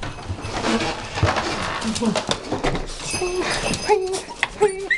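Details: Sasquatch, a female pet dog, greeting her owner indoors after about ten minutes apart, as she does every time; short, tonal whining yelps come in bursts toward the end, mixed with human speech and household clatter.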